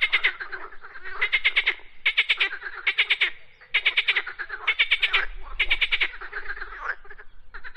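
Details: Frogs croaking loudly in rapid, rattling pulse trains, bursts under a second long following each other almost without pause, a few overlapping voices, nothing else notable.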